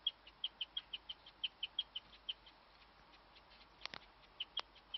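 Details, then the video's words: A female guinea pig kept in a hutch chirps, a rare noise for the species: short, high, bird-like peeps repeated about five times a second, with brief pauses and a couple of sharp clicks near the end. "my guinea pig chirping"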